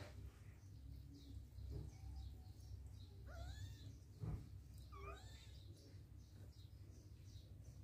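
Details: Domestic cats in a home reacting to and playing with an adopted cat; two short, arched, rising-then-falling meows sound a couple of seconds apart over a steady low hum, with soft thumps and faint high chirps in the background.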